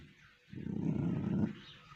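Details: Pomeranian dog being mischievous, a low rumbling growl held steadily for about one second, deep and throaty, with a quiet room tone before and after.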